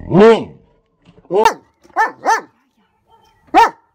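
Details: Odin the German Shepherd barks at a hot air balloon nearing his home. One long, strong bark is followed by quicker, higher, clipped barks, with a final bark after a short gap.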